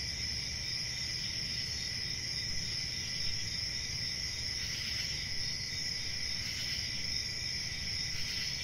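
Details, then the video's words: Crickets chirping in a steady, unbroken high trill with a second fainter band lower down, a continuous chorus over soft low rumble. "Cricket Sounds"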